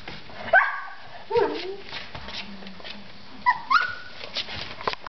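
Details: Playful three-week-old Collie puppies produce thin, whistled whines that drop in pitch, one early, one mid-way, and a pair near the end, with faint scuffling and low murmurs between.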